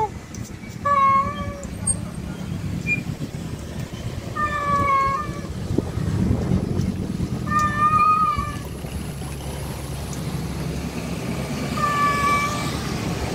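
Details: Calling for a wild female, a male cat repeats long, slightly wavering meows roughly every three to four seconds, with heavy traffic noise and a brief murmur of voices in the background.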